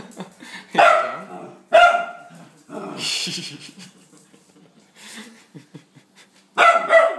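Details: Pet dog frightened by a sweeper, seeing it for the first time and freaking out: a few sharp, loud barks spaced a second or so apart, with people talking and laughing in the room.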